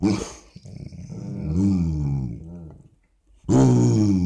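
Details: Basset Hound making morning "conversation" noises: a low, rough, growly grumble that bends up and down for about two seconds. A pause follows, then a sudden loud, full-voiced moan starts.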